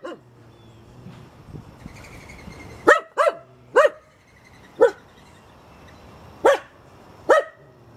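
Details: Backyard Finnish Spitz treeing birds in a tree: a string of sharp, ringing barks, three in quick succession, then three more at uneven gaps of one to two seconds, with a low hum behind.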